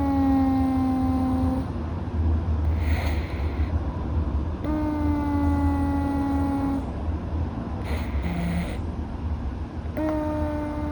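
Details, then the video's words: Louis, a Russian Blue rescue cat dozing with a mildly blocked nose, makes long whistling breaths of about two seconds, evenly spaced, with brief airy hisses and a short low hum between them. "猫の寝息。-Sleeper's breathing of the cat-"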